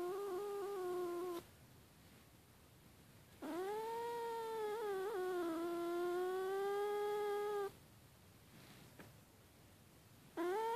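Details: Angry domestic cat after snoring: long drawn-out moaning yowls, each lasting several seconds. One wavers and dips in the middle, separated by quiet pauses, indoors.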